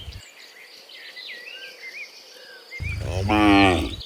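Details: Cows in the morning, returning from the field to the barn: birdsong with chirps and whistles, then one loud, deep, harmonic moo lasting over a second near the end.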